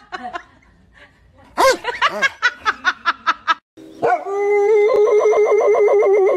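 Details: Angry dog barking: a quick run of about eight sharp, evenly spaced barks, then a long, steady, drawn-out howling whine that holds its pitch to the end of the clip.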